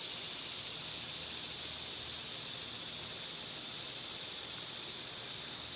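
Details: Summer cicada chorus: an unbroken, shrill, steady electric buzz sits high and constant across the whole stretch, unvarying in loudness, over a faint outdoor background.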